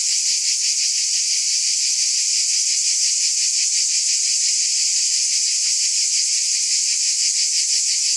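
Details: Massed cicadas give a steady, bright, sizzling buzz with gentle rhythmic throbbing. There are no pauses and no other audible sources.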